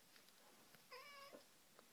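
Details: Kitten giving a single clear, level, high-pitched mew of about a third of a second amid soft indoor rustling, with a person pleading nearby.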